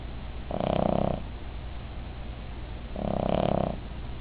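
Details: Female Cavalier King Charles Spaniel asleep, snoring loudly: two long rasping, buzzy breaths, each lasting under a second, about two and a half seconds apart, with low hum between.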